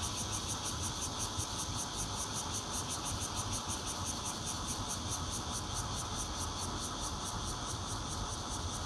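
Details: Bear cicada singing in Zhongli, Taiwan, on 16 June 2013, recorded from a fourth-floor home on a Nokia Lumia 820: a dense, steady buzzing drone with fast pulsing in the high range, over a low background rumble.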